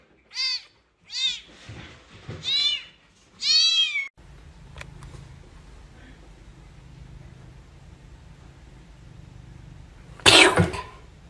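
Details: Domestic cats of a big-faced cat family at home: four clear, high, arching meows in the first four seconds, each rising then falling, followed by quiet room hum and one brief loud rustle.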